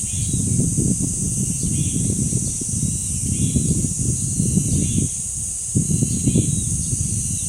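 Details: Steady shrill cicada chorus at Deoksan village's dangsan grove, South Korea, a constant high hiss-like drone that never pauses, set against strong pulsing wind and a few faint distant bird calls.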